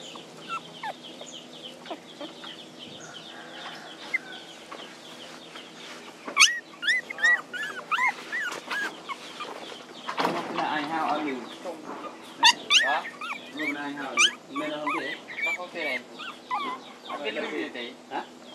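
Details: Several puppies crying for their mother: a dense run of high, thin whimpers and squeaky rising and falling cries that overlap and grow louder and more frequent toward the end.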